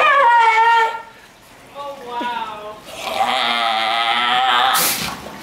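A sea lion gives drawn-out, honking barks with a rich, horn-like tone.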